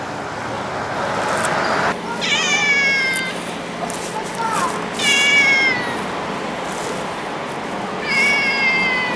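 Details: Stray or community cat, recorded sometime from summer 2016 to winter 2017, giving three drawn-out, falling meows spaced roughly three seconds apart over a constant outdoor hiss.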